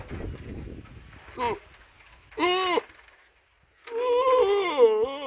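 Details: Goat bleating: a short cry, then an arched nasal bleat, and after a silent gap a long, wavering, drawn-out bleat ending in a higher squeal, over soft low background noise.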